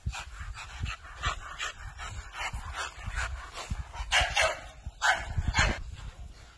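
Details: American Bully dog giving short, rough broadband barks and yips in a quick irregular series, some louder bursts near the end, with low thumps and handling noise underneath.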